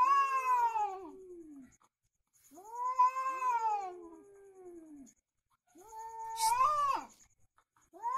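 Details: Cat caterwauling during a fight: long drawn, wavering howls that rise and sag in pitch, three yowls separated by brief pauses, the last ending in a sharp hiss-like burst.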